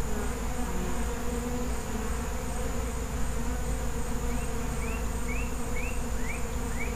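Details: Continuous low buzzing drone of a feral honey bee colony, thick and even throughout, joined in the second half by a run of six quick upward-sweeping bird chirps.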